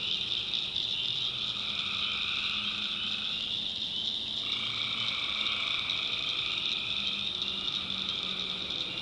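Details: Night chorus of tree frogs in North Carolina backwoods swampland: a steady high ringing wall of trills, with mid-pitched pulsed calls dropping out around the middle and returning, and faint low croaks beneath.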